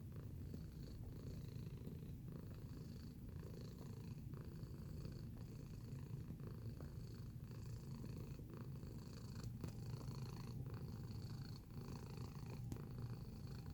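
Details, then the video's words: Close-up of a purring domestic cat: a steady, deep low rumble that swells and dips with each breath, about once a second, throughout. "Feline Observational Video - Purring Sound Effect"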